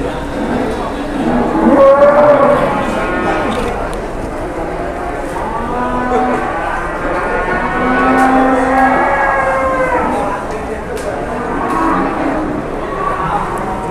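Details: Cattle at the busy Pasar Jelok livestock market, Boyolali, Indonesia: a long, rich moo swelling and fading around the middle, plus shorter lowing calls, under steady chatter from the crowd.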